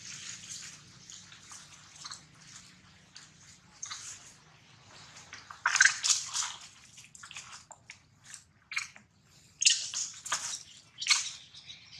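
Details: Splashing, dripping water and soft squishing noises fill the recording, with no animal voice standing out. Bursts of wet, broadband sloshing come and go irregularly over a faint low hum.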